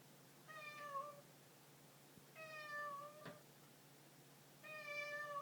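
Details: Three drawn-out meows from a house cat, spaced roughly two seconds apart, each tonal and nasal with a slight pitch dip near the end, over low background hum.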